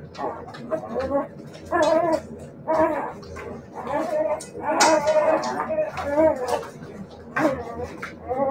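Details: Several Siberian Husky puppies calling in drawn-out, slightly wavering whines and howl-like cries, one roughly every second or so, with a few brief hissy noises between calls.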